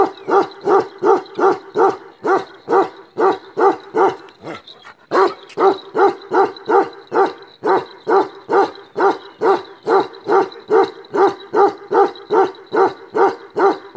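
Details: Ceaseless barking from a black male Kashmiri Eksaya livestock guardian dog of the Himalaya: steady, forceful barks repeated roughly twice a second throughout, pausing only once briefly.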